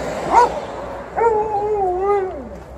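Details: Alaskan Malamute and Golden Retriever guarding their house from an intruder across the road: a brief yip, then a drawn-out, gently wavering howl that falls away at the end.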